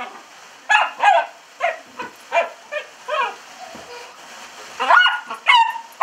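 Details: Buddy the dachshund reacts to water from a garden hose hitting the window, barking and biting at the glass; spaced, somewhat softer barks with whiny, rising yelps toward the end over a steady background hiss.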